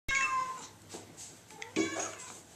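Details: Hungry house cat meowing indoors: a long, falling, harmonic-rich meow at the start, then a shorter second meow after a quiet gap, with soft room noise and a low hum.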